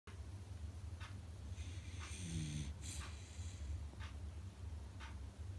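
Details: Beagle puppy asleep indoors, snoring loudly: low rumbling breaths with soft whistling wheezes on some inhales, repeated about once a second, in a quiet small room.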